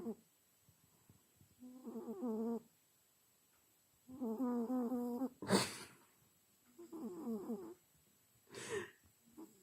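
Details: Sleeping house cat snoring sweetly, with rhythmic buzzy inhalations lasting about a second and spaced two to three seconds apart, interrupted by two sharp rustling or clattering noises.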